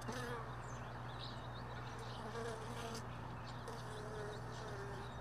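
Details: Remaining honey bees near hive boxes from a truck bed, moved early in the morning for storage; faint buzzing flight tones drifting in and out over a steady low hum, some higher faint chirps.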